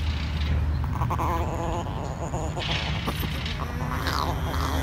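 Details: A tiny female chihuahua refusing to share her treats gives a wavering, moaning growl that rises and falls in pitch, with short pulsing bursts, over a steady low engine-like hum.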